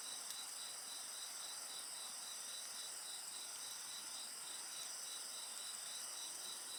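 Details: Constant insect singing alongside a bonfire: shrill sustained tones plus a rapid beating trill repeating evenly throughout, with only faint fire crackle.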